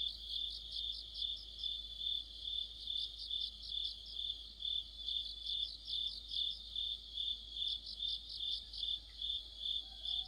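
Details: In the middle of autumn, crickets and other insects fill the night with a bright, pulsing trill. The shimmering high notes rise and fall steadily, roughly 140 beats a minute.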